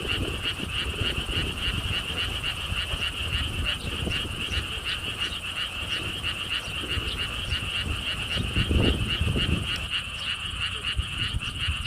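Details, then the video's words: Frogs calling at a lotus pond theme park beside a stone wall path in Siheung, South Korea: rapid pulsed croaks repeat several times a second over a steady high drone, with low wind rumble underneath throughout. "개구리 소리"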